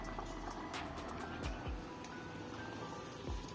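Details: Music plays over a steady vehicle hum, with faint beeping tones and a few short knocks, and no animal voices heard.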